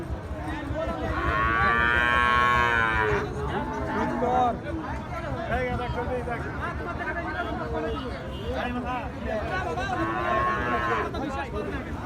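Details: Bull calves of Gir and Sahiwal breeds at the twice-weekly Ambari market. One drawn-out, harmonic bellow opens the sound, busy market voices fill the middle, and a shorter moo follows near the end.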